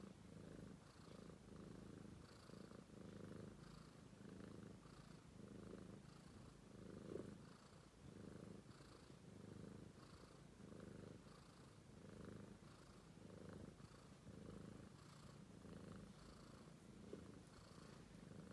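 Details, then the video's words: Romeo, a British Shorthair kitten, purring nonstop while asleep indoors: a continuous low rumbling throb pulsing in steady breaths, roughly 47 cycles a minute, with a soft airy rasp on each inhale and exhale. "Romeo, Sweet British Shorthair Cat Purring"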